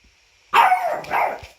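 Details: French bulldog in a costume making a funny whining noise: one drawn-out nasal whine that slides downward, then a second shorter whimper, indoors and otherwise quiet.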